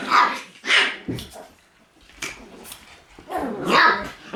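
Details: Shiba Inu puppies in a lively puppy room on 1 September give a few sharp, high yapping barks in short bursts, with a pause of quieter scuffling in between.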